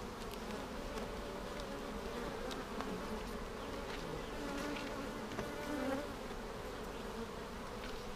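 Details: Continuous drone of a honey bee colony, inspected for queen cells a week after being split vertically with a double screen divider board, March 10, 2019. The low, even hum dominates with small rustles and knocks.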